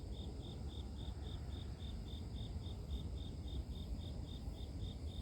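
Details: Grass insect calling in a nature recording made for sleep, a high, steady chirp pulsing about four times a second without a break, over a heavy low rumble of background noise.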